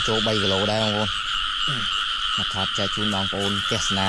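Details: Frogs calling in rice fields in the rain as they are being caught: rapid runs of nasal, harmonic croaks, about four per second in clusters, against a constant shrill background chorus.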